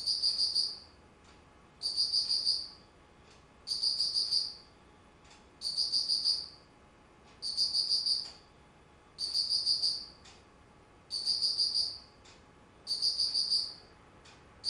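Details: Insect chorus in autumn, 19 September 2009: a steady series of eight high, ringing, pulsed trills, each under a second long and repeated regularly about every two seconds, with low background hiss.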